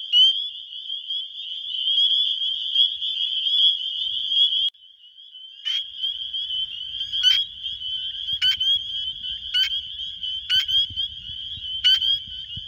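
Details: Wisconsin spring peepers, males calling for mates, phone-recorded: dense high peeping chorus, a brief drop in level midway, then loud clipped peeps repeating about every second over faint low rumble.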